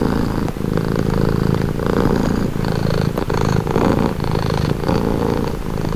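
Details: Low, continuous purr of a pet cat, rhythmic rumbling that rises and falls in breath-length cycles of about a second, with faint brief clicks between phases and nothing else audible.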